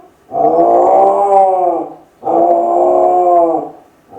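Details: Lonely Kai Ken Ichi howling while left alone at home, as if calling family to come back; two sustained, rich harmonic howls about two seconds each, slightly arching in pitch, separated by a short pause.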